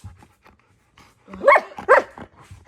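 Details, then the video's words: Pet husky malamute talking back to its owner inside a room, a few quiet huffs and snorts, then two sharp wavering yowls close together. "Best talking dog videos"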